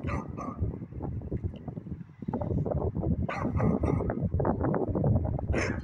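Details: Beagle barking in the evening, sharp broadband barks near the start, around the middle and at the end, over a constant low rumbling background noise.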